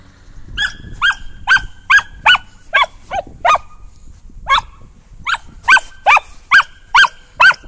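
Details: Female Samoyed going crazy with excitement after grooming: a fast run of sharp, high yipping barks, roughly two per second, briefly pausing midway before resuming, over low background rumble.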